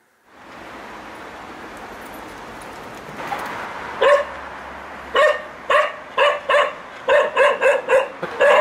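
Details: Bailey, a young male spaniel, barks as he is let out into the garden, a habit his owners struggle with. After a few seconds of door and outdoor noise, loud short barks start and repeat rapidly and unevenly, almost twice a second.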